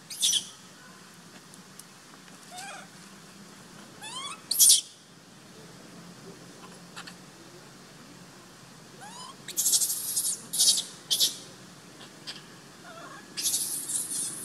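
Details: Sovana, an abandoned baby monkey left in her troop, cries out to be taken back with sharp, raspy high shrieks, a lone burst first, then a cluster of rough screams in quick succession.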